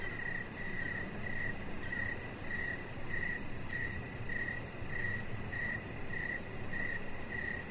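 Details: Evening crickets outside by a deck, giving even, high pulsed chirps roughly twice a second in a steady rhythm, above a soft low hum of background noise.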